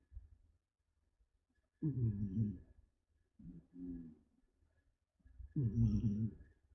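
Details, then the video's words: Haku, a female pet cat described as tired and deeply asleep, snoring indoors like an old man: three rough, low, buzzing snore bursts, each under a second long and about two seconds apart, with quiet pauses between. "피곤한 고양이_ 분노의 코골이"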